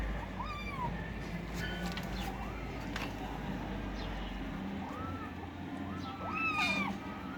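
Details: Several kittens squabbling over food give repeated high, bent meows, some rising and dropping sharply, scattered through the recording, one louder squeal near the end, with a constant low hum and scattered clicks beneath.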